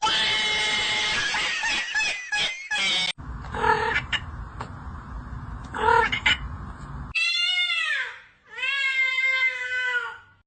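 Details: Cats heard first amid clattering and room noise, then two clear arching meows, each rising and falling, close to the microphone.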